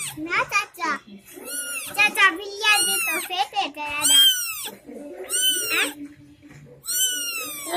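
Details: Kittens recently born indoors, a litter of three, crying in a rapid series of high, bent mews, each swelling then dropping in pitch, some overlapping, with brief quiet gaps between bursts.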